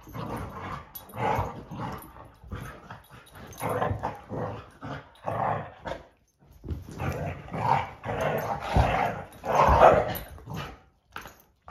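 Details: Great Dane vocalising in a series of rough, grumbling growls and short barks, bursts coming in clusters with brief pauses, loudest near the end, with some household background noise.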